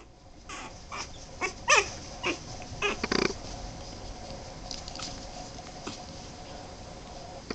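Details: Young Boston Terrier pups at 23 days old let out a few thin, rising-and-falling squeals and brief nasal grunts in the first three seconds, then fall mostly quiet apart from faint rustling.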